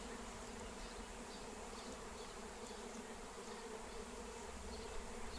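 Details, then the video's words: Massive wild honeybee swarm flying as it is caught using a Melissa plant, lemon balm: continuous even buzzing drone, thick low hum with a brighter whine layered above, steady in loudness throughout. "Honey Bee Swarm Capture with Melissa plant"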